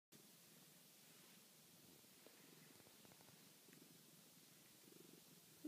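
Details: Domestic cat purring while being petted: a soft, steady, low rumbling purr that continues without a break, heard faintly over quiet background hiss.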